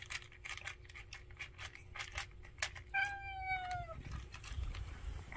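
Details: A single long, downward-sliding meow from one of a family of street cats gathered at a meal, preceded by a run of quick clicking and tapping sounds.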